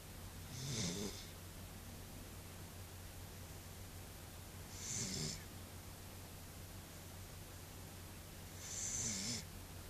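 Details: A sleeping female Pembroke Welsh Corgi snores in slow, breathy rasps roughly every four seconds.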